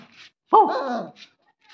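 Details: A German Shepherd puppy gives its first bark, a single high, tonal bark that rises and then slides down.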